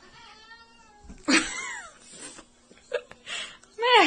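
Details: Domestic cat boxing indoors; drawn-out harmonic yowl followed by sharp descending squalls and a loud rising cry, with a man swearing and shouting.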